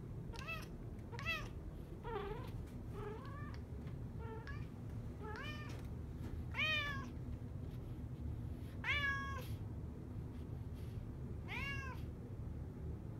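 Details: Affectionate male American Curl cat awaiting adoption at Fairfax County Animal Shelter, meowing for petting; about nine short meows, some rising then falling, spaced roughly every one to two seconds, over a low steady indoor hum.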